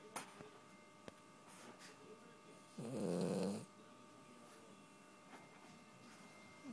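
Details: Wrigley the Puggle snoring in deep sleep: a single drawn-out, buzzy, layered snore swells in the middle of the stretch, with quiet room hum and faint soft clicks before and after.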